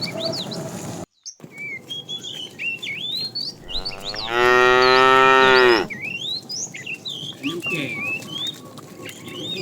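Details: Tame cattle herd setting off on a long walk toward fresh pasture; one loud, drawn-out moo of about two seconds with a rich harmonic tone, while many birds chirp and twitter steadily around it.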